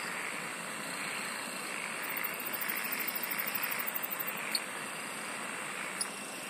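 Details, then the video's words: A thick insect chorus holds a continuous shrill hum and airy hiss, while a quick, very high pulsed trill rattles for about two seconds midway, followed by two sharp clicks. "SINGING OF INSECTS"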